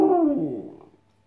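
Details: Westie terrier imitating Ronaldo's 'siuuu' cheer, as it does whenever it hears the celebration: a brief tonal howl gliding steadily downward and fading within about one second.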